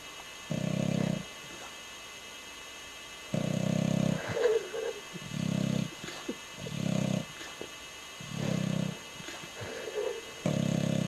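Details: Ozzy the English Bulldog snoring in his sleep, his lips flapping; long low snores alternate with quicker rattling, fluttering bursts, separated by quiet pauses.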